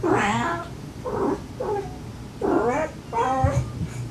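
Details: Domestic cat family, a stray mother softly calling her five kittens and the rescued siblings answering; five throaty, drawn-out mews, each bending down at the end, with a faint continuous low hum behind.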